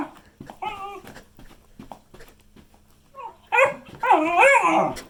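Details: Beagle giving short clipped whines, then loud wavering howling barks with harmonic bands in the final seconds, indoors in a small room.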